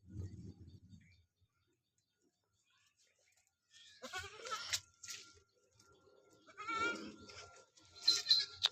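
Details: Goat being bathed and shampooed, giving a short harmonic bleat among people's voices and background music.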